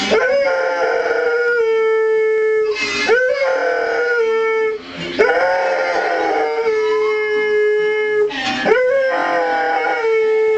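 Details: Howling with music, an Airedale Terrier holds long steady tones, then slides upward in brief swoops near three, five and eight and a half seconds, singing in tune to the accompanying music.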